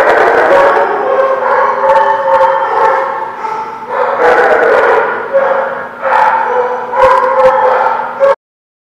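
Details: Dogs at The Barking Lot, recorded 4/17/17, giving loud, overlapping, drawn-out howl-like calls with layered harmonics and bursts of barking that swell and fade over several seconds, over a steady low hum before a sudden cutoff.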